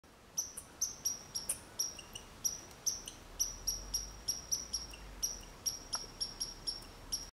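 A chipmunk gives sharp, high chirps repeated steadily, about three each second.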